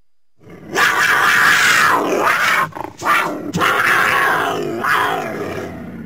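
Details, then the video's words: Cougar, also called mountain lion, giving harsh, raspy screaming calls for about five seconds, loud and noisy with a strained harmonic band, broken by two short pauses and fading slightly toward the end. "Cougar Mountain Lion Sounds"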